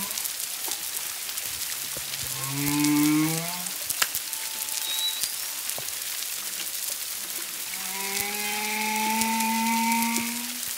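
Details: Humpback whale song off Culebra, Puerto Rico, on 25 February 2022, from 1–2 miles away with at least a second whale: low harmonic moans rising in steps around the third second, then a long sustained tone, over steady crackling.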